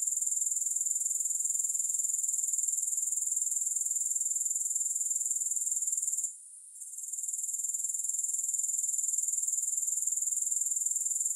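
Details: Relaxing grasshopper sound, no music added: an unbroken high, sizzling trill pulsing about four times a second, with a single brief dip into quiet just after six seconds.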